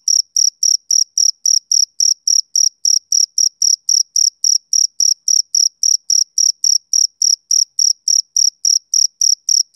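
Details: Rhythmic summer-evening chirping from a male cricket: sharp, high, evenly spaced pulses, around three and a half per second, over a quiet background.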